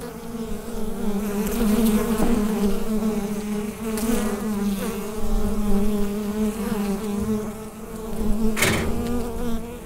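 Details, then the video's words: Constant low droning of bees within the hive, captured through a USB microphone, with a few faint taps and one sharp click near the end. "Bee Hive Sound Effect"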